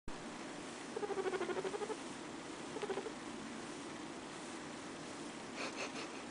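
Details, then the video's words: Butterscotch, a lighter-coloured pet guinea pig, makes cute noises indoors: a rapid pulsed, low purring run of about a second, a shorter burst soon after, then a brief higher buzzy chatter near the end. "Butterscotch making cute noises [Guinea Pig]"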